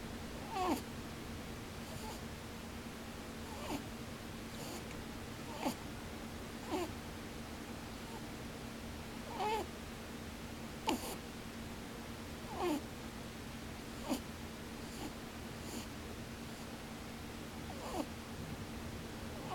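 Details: Indoor rabbit asleep though its eyes stay open, snoring steadily. A long run of short puffing, slightly tonal pū-pū and bū-bū sounds repeats every one to two seconds under a constant low electrical hum.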